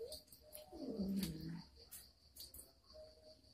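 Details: A domestic cat faces an uninvited guest at Moa's home and gives a single low, wavering moan lasting about a second. Soft clicks and a faint steady hum sound behind it.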